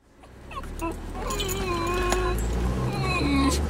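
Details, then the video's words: Several excited Basenji dogs whining as they head to their favorite nearby park: thin, wavering high-pitched whines that rise and bend over a steady low rumble, with a woman talking to them throughout. "Whiny Basenjis Headed To The Park"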